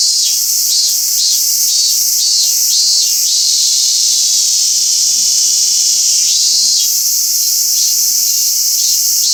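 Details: Robust cicada singing at Toyano-gata Park, where only a few live. A loud, intense buzz pulses in rapid beats about twice a second, eases to a steady drone midway, then resumes its throbbing rhythm.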